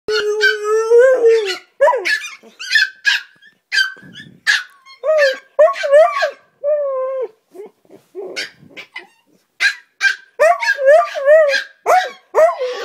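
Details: Husky and chihuahua playing loudly together in the morning, trading drawn-out howling yells and yips in short bursts, some held and wavering, others sharp and rising, with brief pauses between outbursts.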